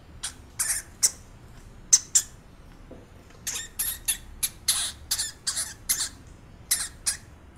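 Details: Pet hamster squeaking: short, very high, sharp squeaks in uneven bursts, some singly and some in quick runs of two or three, spread across the whole stretch against a quiet indoor background.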